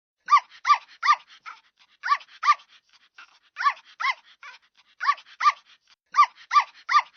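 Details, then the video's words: Puppy yelps: bright, arched cries rich in overtones, delivered in rapid clusters of two to four with quiet whimpering between clusters, about fifteen cries in total, nothing else audible. "Sonido del perro cachorro - Sound dog puppy"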